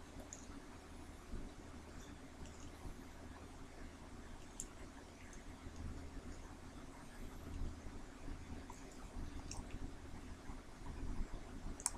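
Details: A quiet indoor room holds only a low steady hum, faint scattered clicks and soft handling noise, with no clear animal voice.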